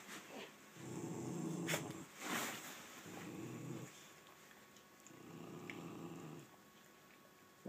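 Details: Two pet dogs, Nugget the rat terrier and Mako the American Staffordshire terrier, dispute who gets the bed indoors: three low rumbling growls, each one to one and a half seconds, with brief sharp noises and soft human speech around them.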